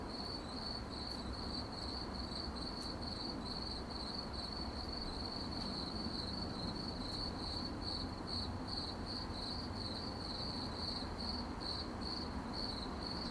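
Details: Crickets in the night produce a loud, shrill, rapidly pulsed chirping that runs unbroken, over a soft low rumble with occasional faint ticks.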